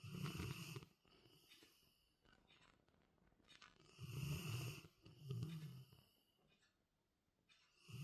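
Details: A Labrador Retriever snoring: deep, rasping, rumbling breaths near the start and again around four, five and a half and eight seconds, with quieter wheezy airflow and soft snorts filling the gaps between them.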